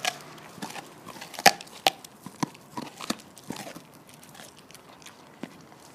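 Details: Lilly, a female Border Collie and Labrador mix living on the Stallgespräch Alfter farm, chews a bone in November 2015; irregular sharp crunches and clicks, one loud snap near the middle, quieter gnawing between, indoors-sounding.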